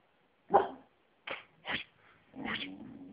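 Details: A domestic dog gives four short, punchy barks in quick succession, the last one longer and trailing into a rough, lower tail; otherwise quiet room.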